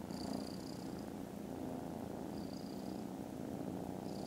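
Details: Foster kittens resting contentedly after lunch, recorded 18 December, purr loudly in a deep, even, vibrating drone. Faint high whistly tones appear now and then.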